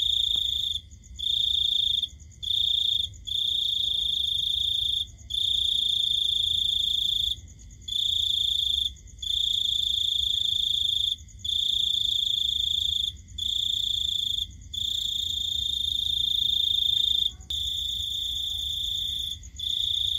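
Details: Cricket heard at night giving a long series of high, ringing trill bursts of uneven length, from under one to about two seconds, separated by quick pauses, with quiet low background noise.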